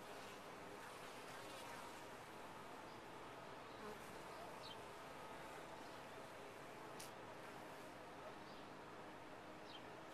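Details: Honey bees inside a top-bar hive make a steady, dense droning hum that holds even throughout, with a few faint, brief high chirps from birds in the background.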